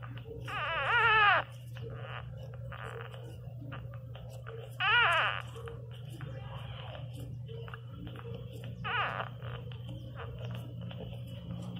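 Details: Teco, a newborn Pinscher puppy, cries loudly indoors in three shrill, wavering wails spaced about four seconds apart, with soft clicks, faint rustling and a constant low hum between cries.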